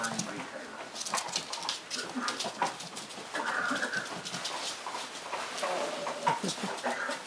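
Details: Seven eight-week-old Cardigan Welsh Corgi puppies of the Nautical litter, born 29 October 2010, playing rowdily indoors; brief high yips and whines rise out of a steady scuffle of paws and chatter, with a person's voice nearby.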